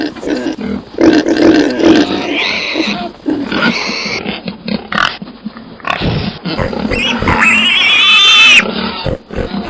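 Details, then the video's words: Pigs giving harsh grunts and a long, shrill, wavering squeal near the end, with overlapping noisy calls from several animals. "Sonidos de Cerdo"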